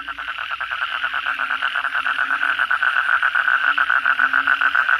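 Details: Night chorus of kodok bangkong frogs following a downpour, many animals calling: fast, uneven rattling pulses at roughly three to four per second over a bed of deeper, wavering croaks.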